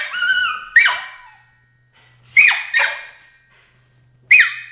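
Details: Crate training draws loud protest from Emily, a 13-week-old Border Collie puppy: a drawn-out wavering squeal followed by sharp, high yelps spaced about a second apart, echoing in a small room.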